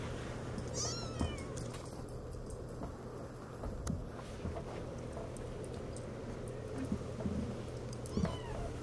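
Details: Six-week-old Siamese kittens giving thin, high mews that rise then fall, one near the start and another near the end, over a steady low hum with faint rustling and handling noise.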